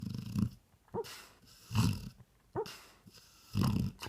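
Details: Sleeping dog snoring, low rumbling snores in three bursts about every second and a half, each with a rough throaty rattle, faint breathy sounds between them.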